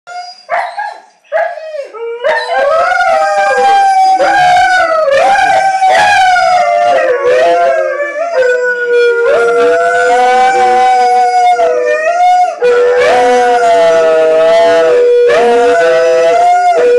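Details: A West Siberian Laika and Malamutes howl together, long wavering tones with rich harmonics that overlap and slide up and down, with short breaks and yelps at the start.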